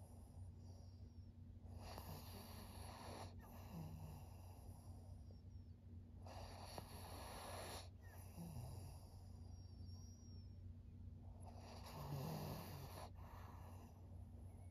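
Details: Senior fawn pug Maria, a thirteen-year-old female in Japan, filmed in September 2023, breathing with quiet snorts and wheezy rasps that come in four broad bursts roughly every three seconds over a faint background hum.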